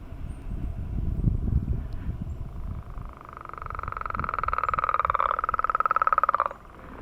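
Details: Frogs giving their mating call on a millrace in the morning, many singing, a declining population, recorded hand-held on camera: a steady rapid pulsed trill of even mid pitch runs about three seconds, preceded by low rumbling background noise.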